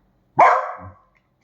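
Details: One sharp bark from a pet dachshund, Kiko or Choco, with a quick hard onset that trails off into a softer, lower grumble.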